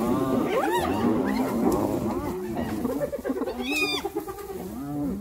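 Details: Hyenas in a brutal attack on another hyena: rapid chattering squeals and giggles that crowd together at first, then thin into a few drawn-out whines with a short high squeak near the end.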